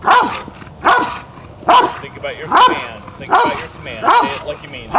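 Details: In an IGP3 protection routine at a DVG America qualifying trial, the Rottweiler Jefe von Tonatiuh barks repeatedly in a steady rhythm while human voices talk over the barking.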